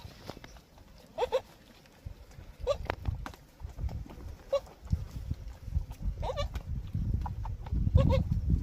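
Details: Goat kid suckling milk from its mother in a garden on a free-range natural farm in Dausa; short wavering bleats at intervals of a few seconds over low rustling and handling noise.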